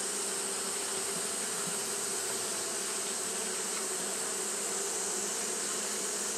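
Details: Japanese honey bees fanning on a hot day, making a continuous massed buzz, a low steady hum under a hissing high band, with faint flickers of single wingbeats.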